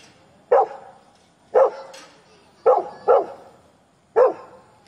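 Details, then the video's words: Labrador Retriever barking at strangers: five sharp, single barks spaced about a second apart, two of them close together near the end, over a quiet background. "Labrador barking।barkingatstrangers"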